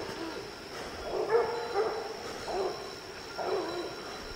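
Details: Hunting dogs out in the evening, young Lillie and Dynomite with 14-year-old Sadie, bay at treed quarry: four drawn-out, hoarse barks spaced about a second apart, heard at a distance over a steady background hum.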